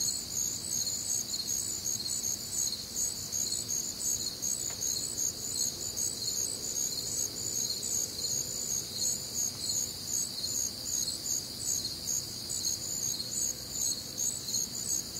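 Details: Crickets and other night insects on a humid Midwestern summer night, an unbroken, shrill multi-layered trilling with a quick, fairly even pulse, one brief click near the middle, and soft low rumble.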